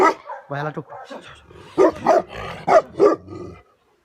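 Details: Tibetan Mastiff, the Bhote Kukur of Nepal, a Himalayan livestock guardian dog, giving a handful of deep, loud barks in an uneven burst, with softer voiced sounds and a human voice mixed in before and between.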